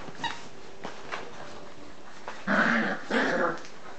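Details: Nine-week-old English Cocker Spaniel puppies at their evening play give two short, rough growling bursts after a few soft clicks and taps.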